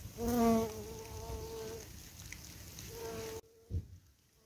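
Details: Bumblebees on a wild flower patch, recorded on an evening, too numerous to count; a loud low hum rises near, drops to a steadier drone, then a second short buzz passes before the sound cuts to quiet with a faint thump.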